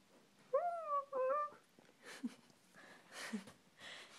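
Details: Siberian Husky named Holt answers its owner's spoken "I love you" with two short, smooth howled syllables, the second slightly bending; indoor quiet follows with soft human voice and rustling.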